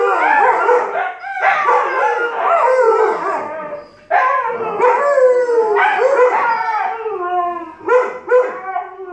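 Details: Argument between an Alaskan Malamute puppy and a Siberian Husky becoming howling: long quavering howls with downward slides, broken by two short gaps, ending in a couple of clipped yelps.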